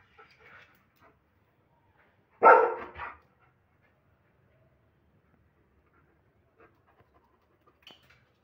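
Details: German Shepherd barking aggressively: a single loud, harsh bark after a few soft sounds, then near silence with faint small noises toward the end.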